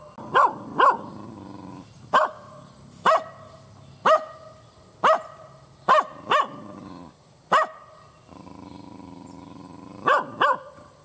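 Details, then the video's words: Angry kampung dog barks hard and aggressively, with a pair of quick barks opening, then single sharp barks about once a second, before a closing double bark; a continuous low hum and thin high tone run underneath. "SUARA ANJING MENGGONGGONG"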